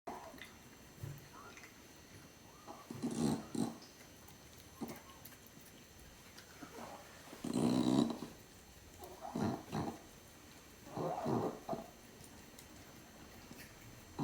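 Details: Furball, an 18.5-year-old male domestic cat, purring while eating his meal indoors, the purr coming out as little pig-like snorts: short, breathy, rasping bursts spaced a second or two apart, with quiet gaps between.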